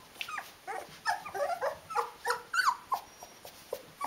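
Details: Litter of 19-day-old Rhodesian Ridgeback puppies indoors: short high squeaks and whimpers repeated about three times a second, uneven and overlapping, with faint background rustling.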